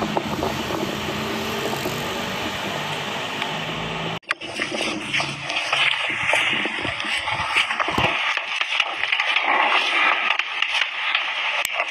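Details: Vehicle and scraping noise with some water-like sound; a sharp cut near four seconds changes the texture, and no animal voice is heard.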